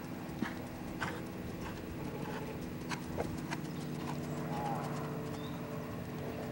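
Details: Irregular hoof clip-clop from a Lusitano stallion, sharp knocks coming roughly every half second over a constant low mechanical hum, with one brief faint chirp.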